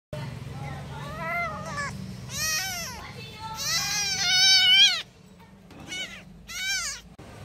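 Kittens give high, thin mews that rise and fall, calling for their mother.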